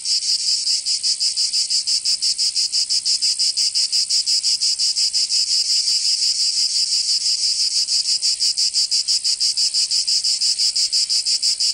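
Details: Cicadas in summer in Provence, France, producing an unbroken, piercing high buzz throbbing in rapid regular beats about three a second, steady in loudness from start to finish.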